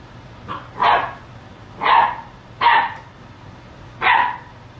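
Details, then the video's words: A Great Dane puppy barking at a mop it treats as a threat gives four short, sharp barks, spaced roughly a second apart. "Great Dane puppy barks at mop nemesis"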